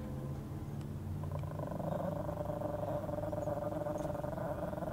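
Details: Unbroken throaty snarling from Snowy the chihuahua, hostile toward a person nearby; the gravelly low growl rises in intensity midway and stays sustained without pause.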